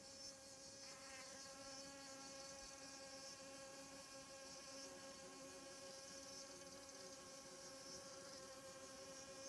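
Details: Wasp arriving at squash flowers in the morning, chasing off honey bees gathering pollen; steady droning insect hum with layered harmonic tones, a brief sweeping buzz near the start as a flier passes close, faint background hiss.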